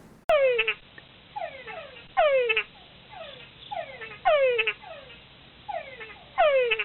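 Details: An Andean chocolate frog gives a bright, downward-sliding harmonic note that breaks into a few rapid, rattling pulses. The call repeats steadily about every two seconds, with softer echoing notes between.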